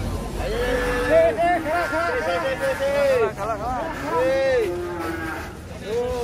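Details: Several bellowing moos from giant, agitated cattle leaving a truck, wavering and overlapping in quick succession, some rising into short arched calls, over a murmur of people.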